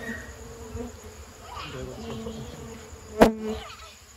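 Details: Honey bees buzzing as honey is taken from their nest in an amateur harvest; a low steady hum with wavering tones, broken by a sharp click just past three seconds.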